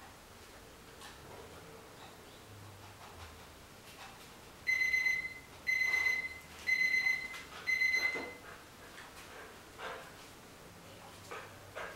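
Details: Four short electronic beeps repeated about a second apart over quiet room noise and soft clicks.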